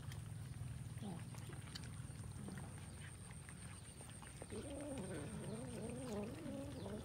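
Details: A group of kittens at a meal of rice: after a quiet start with a low background hum, overlapping quavering, wobbly mews rise and fall continuously through the final two and a half seconds.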